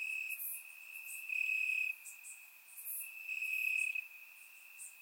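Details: Grass crickets on a warm summer night in Bulgaria, surround-recorded, keep up a thin unbroken trill at one pitch, growing louder in bursts about every two seconds, with faint high chirps overhead.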